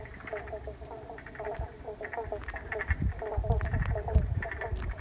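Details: Chorus of frogs in Paringa Paddock National Park, South Australia, wetland refreshed with let-in water, iPhone recording; rapid overlapping pulsed croaks in quick bursts, joined in the second half by louder low thumping and knocking noises.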